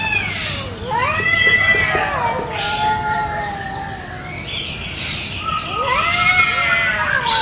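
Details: Two domestic village cats quarrel over territory in a garden in the morning, trading drawn-out wailing yowls with arching, wavering pitch, a rising howl near the end and brief gaps between calls.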